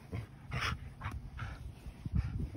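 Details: A Siberian Husky talks back in short, warbling whines and yips with low rumbling underneath, after being told to sit.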